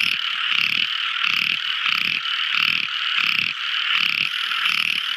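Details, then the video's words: Tiny frogs in full nocturnal song: a steady, buzzy chorus with regular pulses close to twice each second, loud and unbroken. "Amazing Sweet Sound Tiny Frog Crying | Never Listening So Beautiful Frog Song! At Night Time!"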